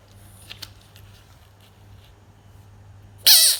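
After near-silence, a frog gives one sudden, loud, shrill squeal that slides downward in pitch.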